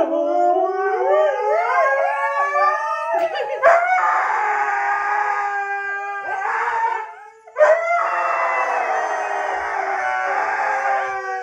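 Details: Pet husky howling in a ranting fit, wavering and rising tones with rich harmonics that wobble up and down, drawn out continuously over about eleven seconds with two brief breaks, loud and close indoors.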